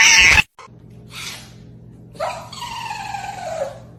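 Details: Domestic cat meowing indoors: one drawn-out, falling meow with clear harmonics lasting about a second and a half, after a short burst of noise and a brief hiss, with a low background hum.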